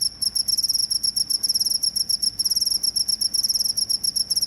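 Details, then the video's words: High, piercing cricket chirps in quick pulsed groups, roughly four per second and somewhat uneven, with a couple of short silences. It is presented as a sound to scare off rats. "suara jangkrik pengusir tikus"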